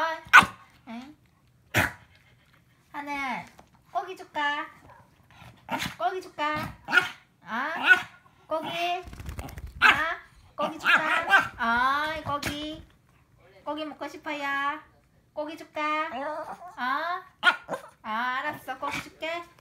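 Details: Several Shih Tzus playing together, giving bursts of short, high, harmonic yips and barks with brief growls. The bursts come in quick irregular runs across the whole stretch, with sharp knocks and some human voices between them.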